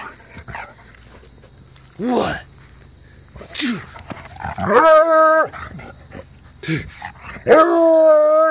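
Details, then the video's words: A male Treeing Walker Coonhound, almost four years old, howling and baying while having fun: rough short barks and yelps, then two long, ringing, rich-toned howls, the second rising strongly at the end, with a person talking in between. "Treeing Walker Coonhound Howling, Baying, and Having fun"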